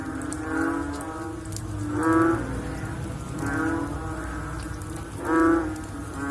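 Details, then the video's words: Frogs calling after rain: low, droning, mooing croaks rise and fade every one to two seconds, several callers overlapping, with a steady wet hiss and dripping in the background. "Sound After Rain With Sound of Frog / Bunyi Selepas Hujan Pakej Bunyi Katak"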